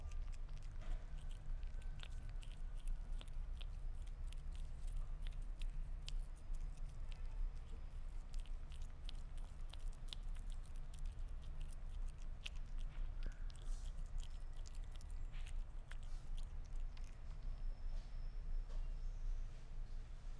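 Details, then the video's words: Sphynx cat eating meat, with rapid moist smacking and biting clicks repeating unevenly the whole time against a constant low droning background. "Gato Esfinge Comiendo Carne"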